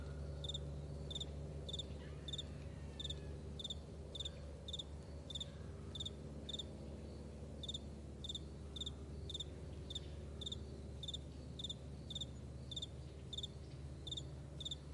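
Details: A chorus of crickets in a wide meadow at morning, with clipped shrill chirps repeating about every second and a half-second, more than one insect, and a low continuous drone underneath.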